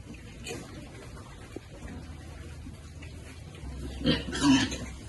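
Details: Piglets enjoying cool water on a farm, content and happy; two short, low, rough grunts come close together near the end, preceded by softer snuffling over a steady background hiss.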